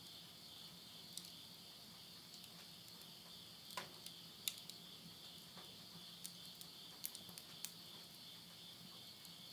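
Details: At the close of summer in countryside Tottori, Japan, insects sing at midnight in September 2020: an unbroken, piercing double-toned trill, with scattered crisp crackles of firewood burning in a stove.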